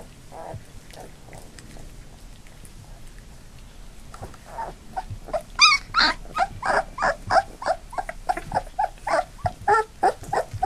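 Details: Labrador Retriever puppies nearly three weeks old, a litter of eight on the move, start with faint whimpers, then break into loud rapid yelping and growly squeals, roughly three per second, continuing to the end.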